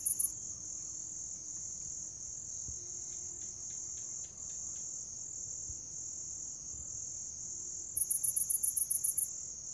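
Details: Chirping grass insects, used as a sound to call cats: a continuous piercing high-pitched hum with two brief chirps at the start and a fast run of about nine sharp pulses near the end.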